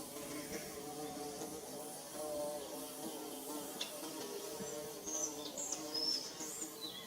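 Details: Bees at work building their hive, giving a continuous low, wavering drone of overlapping wingbeats, with a few thin high chirps toward the end.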